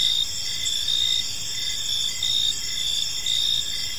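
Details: Crickets chirping on an evening in a peaceful park: steady high-pitched trilling with pulsing bursts roughly every second, several insects overlapping in a continuous chorus over faint low background hum.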